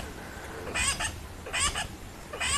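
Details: At sunset at Rietspruit Game Reserve in South Africa's Lowveld, a tree squirrel gives a harsh, clucking chatter in three bursts about every 0.8 seconds over a low rumble, possibly an alarm call, though no large predator is seen.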